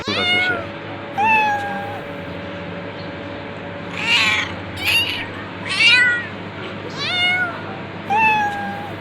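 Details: Cat calling insistently with around nine meows, some short and falling, others drawn out and wavering, spaced about a second apart against a constant droning hum.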